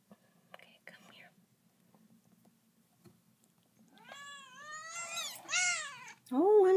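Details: Two-week-old kittens with their mother cat in a closet indoors; after a quiet stretch with soft whispering, high, clear, wavering meows rise and fall, growing louder and ending in a sharp, intense cry.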